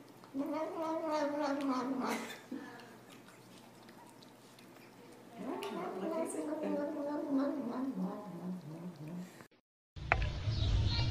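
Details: Domestic cat giving drawn-out, wavering howls in two long bursts, each with stacked harmonics rising then falling, separated by a quieter pause, followed by a sudden cut to a different noisy scene.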